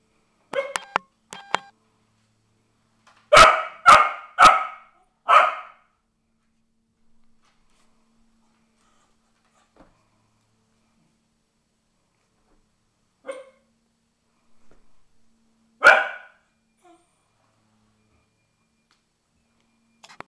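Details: Cardigan Welsh Corgi barking in response to a vacuum cleaner, with Russ and Shaker in the house. A few quick sharp yaps, then a burst of four loud barks, then long quiet broken by single barks.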